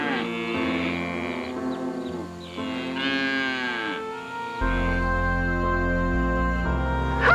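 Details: A calf gives several drawn-out moos, rising and falling and closely spaced, for about four seconds. Then only background music plays.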